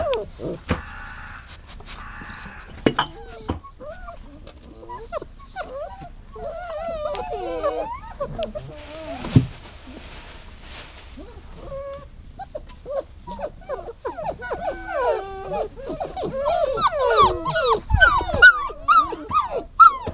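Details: Dog whining in a rapid, uneven series of high, wavering tonal cries that rise and fall in pitch, with a brief burst of hiss midway and denser, overlapping whimpers toward the end.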